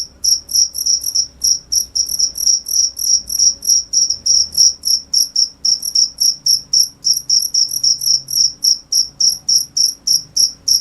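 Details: Steady cricket chirping: crisp high pulses repeated about three to four times per second, fairly even rhythm, with a soft overtone above and faint low rumble beneath.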